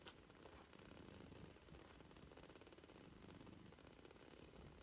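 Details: British Shorthair kittens, three weeks old, with a brief tick at the start, then an unbroken low, fluttering purr, its quick regular pulses running steadily to the end.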